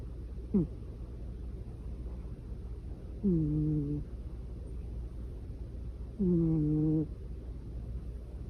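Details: Domestic cat snoring in a quiet indoor room: a brief squeaky breath followed by two longer, level, nasal tonal snores, each under a second, recurring roughly every three seconds with faint hum between.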